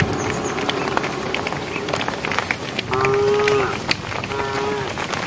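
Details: A herd of cows walking on a project road toward evening gives drawn-out, fairly high moos, calling to the herd over a noisy outdoor background.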